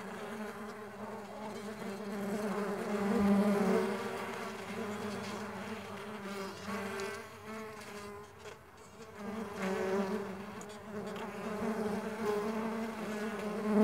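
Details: Mandaçaia stingless bees flying about, an unbroken buzzing drone whose pitch slides up and down as individuals approach and move away, volume swelling in waves.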